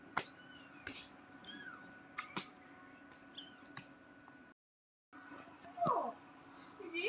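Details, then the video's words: Small kitten giving thin, high meows that slide downward. A few short cries come in the first half, then a brief dead gap, then a stronger wavering cry near the end. Sharp clicks and a steady electrical hum run underneath. "KETIKA USIA ANAK KUCING MASIH KECIL"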